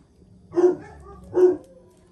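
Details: Two clipped, mid-pitched barks about a second apart from Jack Russell Terrier Paris or her son Oscar while the mother teaches her pup a lesson; quiet otherwise.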